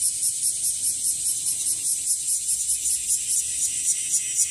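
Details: Wasiwasi, the bear cicada, singing in a season of growing numbers, found in trees and grass: an intense rasping drone throbbing in rapid regular pulses roughly four per second, with no pause.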